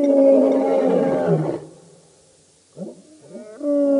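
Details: Lions of the Birmingham Boys coalition roaring at a dam in Djuma Game Reserve, Sabi Sand, by Kruger Park, South Africa, at night on 11–12 August 2016; a long harmonic moaning roar fades, a pause, then rising rough calls resume.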